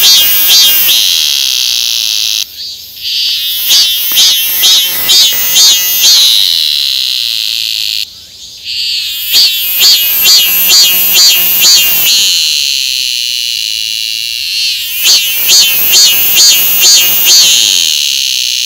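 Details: Cicada calling: a loud, dense buzzing held high, broken into phrases of rapid rhythmic pulses that swell and repeat about every six seconds, with brief drops in between.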